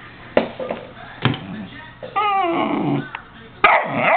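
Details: Domestic dog mixing abrupt barks with a drawn-out wavering howl in the middle, followed by another loud bark; low background hum throughout.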